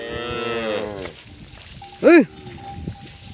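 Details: Calf crying for its missing mother: one falling harmonic bawl, then a short rising-falling shout-like call and a faint steady tone.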